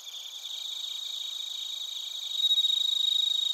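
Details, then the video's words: Crickets, including bell crickets, chirping in Narita, Chiba Prefecture, Japan, recorded on a TASCAM Portacapture X8; high pulsed chirps about four per second under steady ringing tones, growing louder and clearer in the last second. "スズムシとコオロギの鳴き声 - Chirping of crickets"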